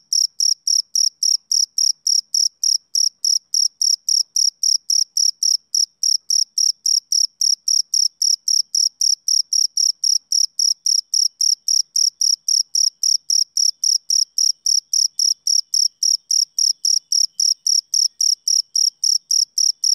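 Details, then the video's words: Male cricket chirping steadily, a clean high-pitched trill pulse repeated almost four times a second for twenty seconds, with a fainter overtone above each chirp. No other sounds are heard. "Cricket Chirping Sound Effect"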